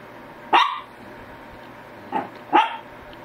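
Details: Short, clipped barks from a Shih Tzu: one strong bark, a pause, then a softer bark quickly followed by a louder one, with faint background hum.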